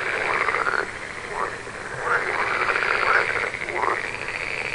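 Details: Softer frog chorus with short rising croaks repeated roughly once a second, each a quick upward-sweeping buzzy note, over a continuous murmur of distant frogs.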